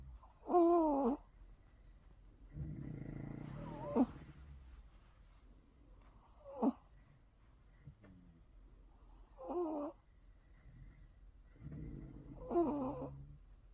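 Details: Five-month-old bichon frise puppy asleep after a ten-minute morning walk, snoring in rhythmic bursts about every three seconds: short nasal whistling snorts alternating with lower rasping breaths, in a quiet room.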